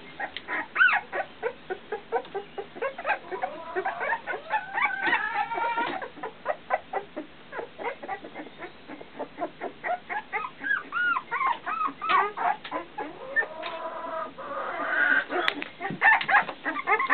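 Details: Fifteen-day-old puppies learning to walk, whimpering in a busy run of short, high squeaks and yelps, some curling up then down, packed closely and overlapping among several pups.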